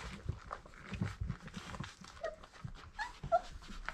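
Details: Four-week-old Irish Setter puppies from dam Grit and sire Cain, heard indoors. Brief, thin, high whimpering squeaks come in a small cluster partway through and again near the end, over soft rustling, shuffling and low thumps of movement.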